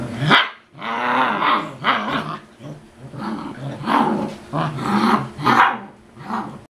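A Bernese Mountain Dog puppy gives a run of high, rough barks mixed with growly yaps.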